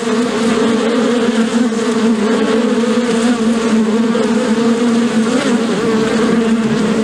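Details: Several bees humming with wings flapping, a constant layered drone with steady low tones and a slight rise in pitch late on, loud and unbroken.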